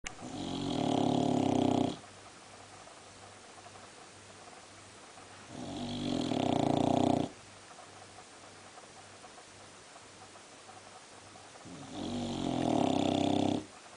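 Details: Sleeping Boxer dog lying in a position that makes it snore louder, giving three loud rasping snores about two seconds long, spaced roughly five seconds apart, with quiet breathing in between.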